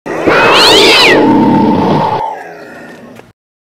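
A single raw, rasping scream from a cougar, loud and cat-like, with a wavering high edge for about two seconds. It then sinks into a fading, breathy tail before cutting off.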